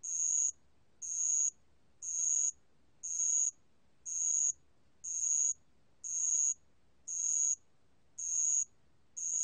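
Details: A 2020 National Institute of Biological Resources recording of a bell cricket: sharp, high ringing pulses of about half a second, evenly spaced roughly once per second, nine in a row, with no other clear sounds.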